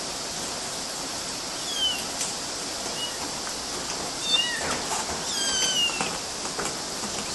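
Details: Small kittens climbing mosquito nets, Galati, Romania, in June 2012, give several thin, high mews scattered through the stretch, some falling in pitch, with light rustling and constant background hiss.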